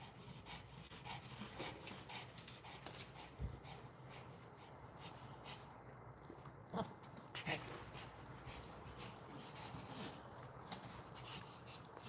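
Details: A dog on its first outing, which is a trip to the vet, panting and whimpering softly in short breathy bursts, with scattered clicks and rustling over a quiet background.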